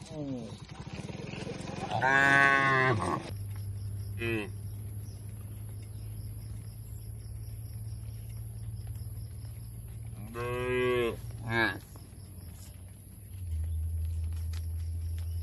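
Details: Cattle in a shed on a rural farm: a long harmonic moo around two to three seconds, a shorter low call near four seconds, then a second drawn-out moo near eleven seconds, over a steady low machine hum.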